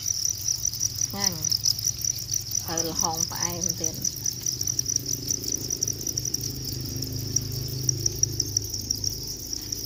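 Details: Cricket heard in the wild, keeping up a continuous high, rapidly pulsing trill with rhythmic chirps; a man speaks briefly near the start, then the insect continues alone.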